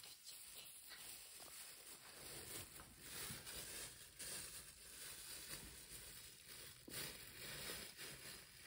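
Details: Max, a pet guinea pig, feeds on grass, giving dense, crackly crunching and tearing noises that run steadily through the whole stretch with small bursts of louder bites.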